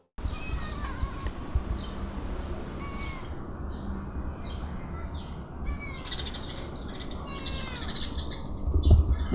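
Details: Kittens snatching food and then eating noisily: thin, high, wavering meows repeat through the first three seconds, followed by bursts of clicky, smacking chewing sounds over a steady low rumble.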